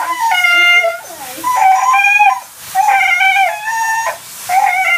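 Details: Husky protesting at bath time with repeated drawn-out, harmonic moaning cries, each lasting about half a second to a second, separated by short pauses, with a man's calming speech in the background.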